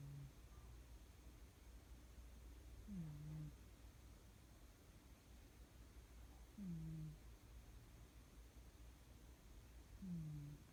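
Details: A sleeping cat snoring: soft, low, slightly rising-then-falling breath sounds repeating about every three to four seconds, with a steady quiet background hiss between snores.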